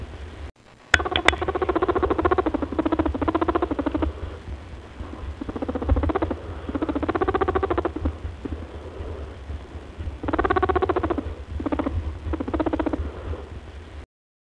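A rabbit makes soft, rapid honking grunts in bursts, a sound of happiness and excitement.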